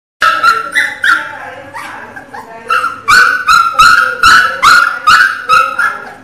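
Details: Miniature Pinscher puppy crying loudly: a run of high, whining cries, each bending downward, repeating roughly twice a second with short gaps, with no other clear sounds.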